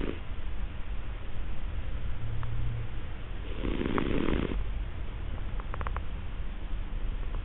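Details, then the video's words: A sleeping, partially-sighted and hard-of-hearing male Siamese cat snores loudly with low, rumbling breaths; he has no medical cause for snoring and is simply a snorer. "Snoring Siamese Cat"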